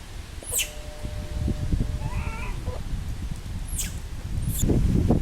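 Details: Little monkey that has lost its mother, crying: thin, drawn-out tonal whimpers with faint harmonics, one longer wavering wail in the middle, over heavy low rustling, handling thumps and sharp clicks.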